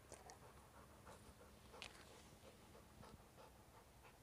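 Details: A dog named Memo, suspicious of a slow, out-of-the-ordinary bee, investigates it; soft, quick rhythmic panting breaths run through the clip, quiet and breathy, with a few light clicks and faint indoor background noise.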